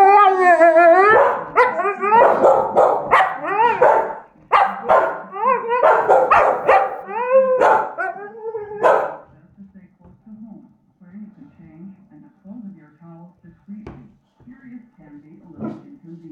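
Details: Staffordshire Bull Terrier begging for leftovers left on the dinner table, making strange noises: a fast run of high, wavering yelps and whines, roughly three per second, fading into quieter low grumbles and faint voices.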